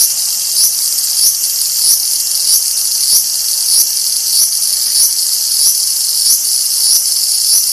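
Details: Periodical cicadas from the 2024 co-emerging broods XIX and XIII; males buzz to attract females. A loud, steady, high hissing drone pulses slightly, swelling about once or twice a second, with nothing else audible.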